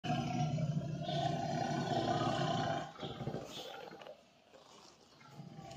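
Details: Tiger giving a deep, rough roar for about three seconds, then quieter rumbling and low background noise.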